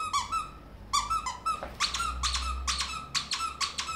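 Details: Ferret hopping like a dog inside a small room, letting out a few separate squeaks and then a quicker, pulsing string of bright, shrill notes over a low background rumble.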